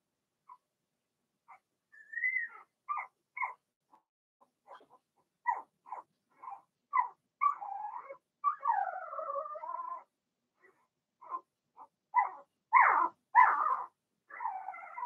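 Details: Young Blenheim Cavalier King Charles Spaniel puppies in a puppy pen at home; thin whines and squeaky yips, some drawn-out wavering whimpers rising and falling, mixed with brief yaps.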